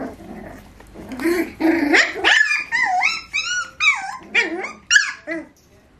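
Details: Beagle puppies, four to eight weeks old, at home: a short low growl gives way to a run of high, wavering whines and yips that bend up and down in pitch, about ten in quick, uneven succession.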